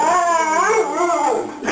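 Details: A pet dog producing a drawn-out howling vocalisation meant to imitate the words "I love you"; a wavering, whine-like tone that swoops down and back up in three phrases over under two seconds.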